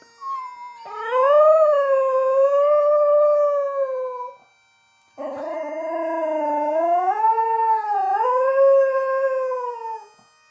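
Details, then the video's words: Border Terrier singing along to bagpipes, linked to the Edinburgh Tattoo: two long, clear, tonal howls, the first steady and gently wavering, the second rising and dipping, with a short silent break between them. "the Border Terrier Singing"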